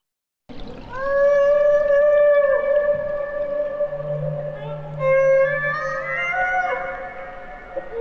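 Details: Humpback whale song played to show what acoustic creatures whales are: long sustained tonal moans with rich stacked harmonics, a steady note then a rising one, with a low hum beneath.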